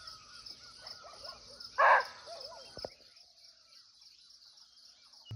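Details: Barking deer (muntjac) calling from nearby in a natural forest in Nepal, recorded live in the wild: a single loud, harsh, short bark over a steady high insect hiss, with soft warbling bird notes before it.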